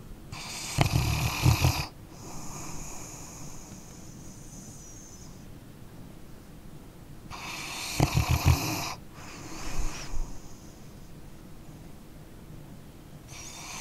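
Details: Snoring from a sleeping dog: deep, buzzing inhalations roughly every seven seconds, each followed by a hissing out-breath, plus a smaller snuffle between them against a hushed background.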